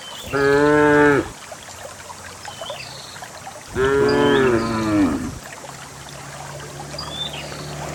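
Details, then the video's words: Cows in a herd of dozens walking down a green hill into a grassy valley to pasture, moo twice in long harmonic lows about two seconds apart, over soft background noise with faint bird chirps. "the cows descend the green hill, the sound of a cow"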